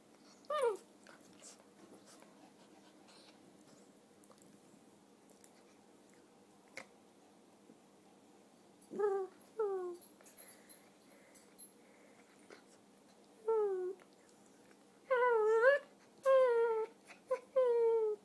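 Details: Red toy poodle, a three-year-old female, whining during a familiar game: sparse high whines early, then a burst of repeated falling whines with rising-then-falling tones in the second half, indoors in a quiet room.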